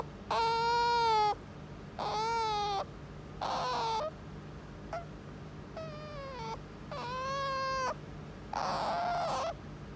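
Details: Tame indoor otter calling insistently for petting: six drawn-out whining cries, each about a second long and spaced roughly every one and a half seconds, dipping then holding a steady pitch.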